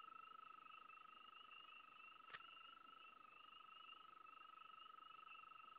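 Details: Frogs heard at one spot, a continuous rapid mid-pitched pulsed trill layered over a steady higher wavering chorus, with one sharp click partway through.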